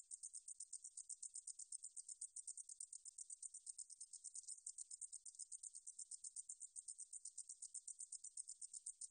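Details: Meadow katydid singing, recorded by Korea's National Institute of Biological Resources in 2020. A thin, high-pitched rasping buzz pulses rapidly and evenly without a break over a quiet background.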